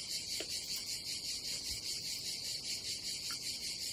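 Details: Summer cicada chorus at a Croatian campsite by the Adriatic: dense, high-pitched buzzing that swells and fades in quick regular pulses, about two or three per second, with little else heard.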